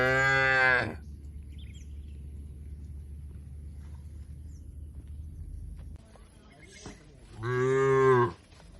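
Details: Two separate moos from tame cattle feeding on grass in an Indonesian oil palm plantation, each under a second, full and harmonic with a slight falling bend, roughly seven seconds apart with low rustling between.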